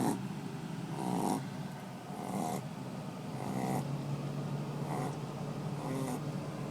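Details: A deeply asleep Shih Tzu snores in raspy, rumbling breaths, each under a second long and coming about once a second.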